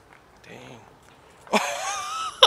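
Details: Local female kitten, being fed outdoors, that tries to steal the whole food container: one drawn-out, rich, tonal meow of nearly a second, wavering slightly in pitch, following a soft murmur of a human voice.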